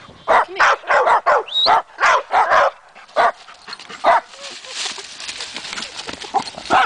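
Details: Matea and Morley, two dogs, going wild at a trailside tree with chipmunks suspected inside; a rapid cluster of sharp barks, then fewer, softer barks over rustling and noise.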